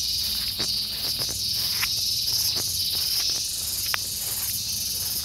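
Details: Gareng pung cicada calling in a steady, loud, high-pitched buzzing drone that holds without pause, with scattered faint clicks and taps underneath.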